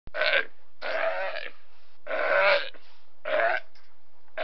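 A sea lion gives a series of harsh, throaty barks, roughly one each second.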